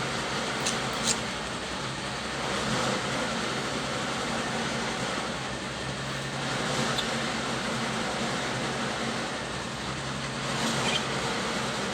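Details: A steady mechanical hum, like a fan or engine, fills the room with no animal voices. Occasional faint clicks and hisses rise briefly above the drone.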